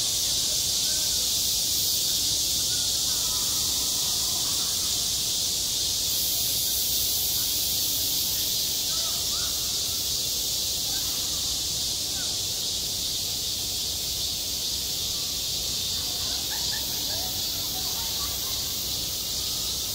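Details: Cicadas crying at a schoolyard in the height of summer, a continuous sizzling high buzz; partway through a thinner, even higher whine swells briefly over the chorus, while faint short sounds flicker in the background.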